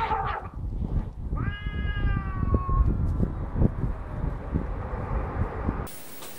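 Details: A single drawn-out meow from Larry, a leash-walking cat taken to southern Italy at about four months old, steady and slightly rising, over a constant low rumble, then a sudden hiss of noise at the end.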